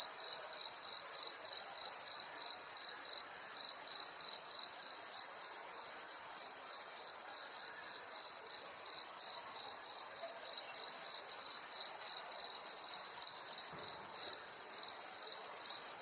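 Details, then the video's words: Cricket insects in a 3D recording producing a long, steady shrill trill with regular pulsing around three beats per second and a faint upper harmonic, clean background throughout. "Cricket insects sound effects in 3D"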